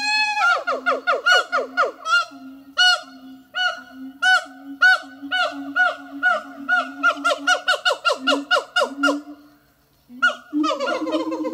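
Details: Two captive siamang gibbons singing at Zoo de La Fleche on a hot summer morning, 6 August 2018: loud, honking, harmonic notes that swoop up and down, repeated in quick, overlapping bursts that speed up, then a short pause and a resumed burst.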